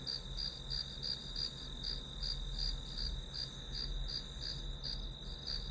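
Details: Grass insects sound through a one-hour study recording, their piercing trill throbbing in rapid regular beats while a deeper steady rumble runs below.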